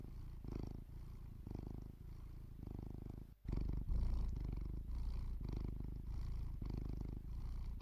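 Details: Sleeping domestic cat in a village, purring: deep rhythmic rumble swelling and fading about four times a second in breath cycles, with a brief dropout then a louder, closer stretch of purring.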